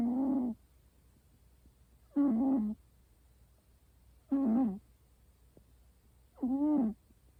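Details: American Shorthair cat snoring indoors: four short, nasal, voiced snores, each about half a second long, repeated roughly every two seconds with quiet pauses between.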